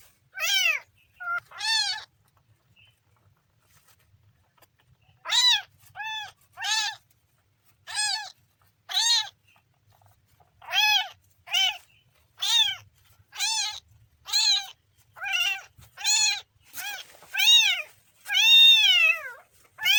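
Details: Kitten meowing insistently, high arched cries coming in quick pairs and runs, nearly continuous from five seconds on and growing louder and longer toward the end, with a quiet background.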